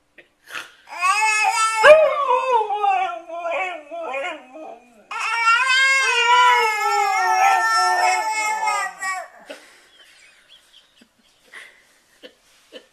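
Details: Dog making a funny vocal noise indoors: long harmonic whining howls, wavering and sliding in pitch, one run of about four seconds then a longer sustained stretch, followed by quiet with faint clicks.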